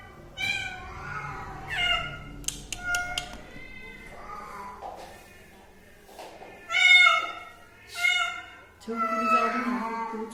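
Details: House cat calling in a string of clear, high meows, some short and clipped, others stretched and pleading, with a few sharp knocks early on and a man's voice speaking near the end.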